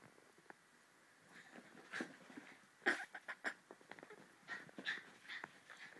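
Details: Two dogs, Hopper and Inigo, running and play fighting; short breathy bursts and scuffling noises come in uneven clusters, quiet at first and louder after the middle, with a small room's echo.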